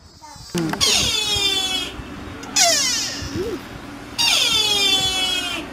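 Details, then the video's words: Sika deer in Nara, Japan, giving three loud, drawn-out, strongly harmonic calls that drop slightly in pitch, each about one to one and a half seconds long, with quieter background between them. "オリシカの鳴き声 Barking Roe Deer 奈良の鹿はおっさん声"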